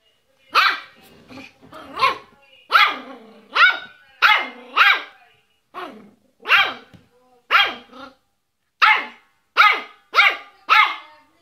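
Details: Yorkshire Terrier barking in a long series of sharp, high, yappy barks, some in quick doubles and some spaced about a second apart. Faint whining notes sound between a few barks.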